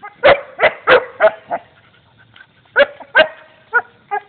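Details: Belgian Shepherd playing with a turtle, giving a quick run of five loud, harmonic barks, a short pause, then three or four more sharp barks, each bark abrupt and clipped.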